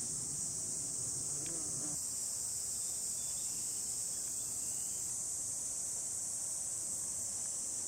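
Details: Hot July 2021 countryside in Hiroshima Prefecture, Japan, with cicadas singing in the sun: an unbroken, high-pitched buzzing drone fills the whole recording, with a faint low rumble beneath it.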